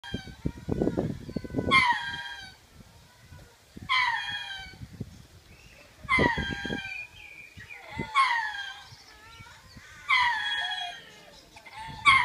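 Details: {'text': 'Kept lemurs giving their territorial call, made twice daily to claim the land and scare off unwanted birds or predators; loud harsh calls with falling harmonics, repeated roughly every two seconds over low rumbling background noise.'}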